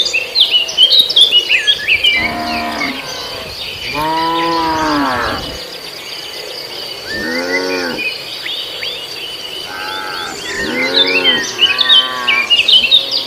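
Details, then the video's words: Cattle herd feeding on grass in a farmer's paddy field; a few drawn-out moos, one long bellow around mid-clip, then shorter calls near the end, under a steady chorus of chirping birds and insects. "suara sapi"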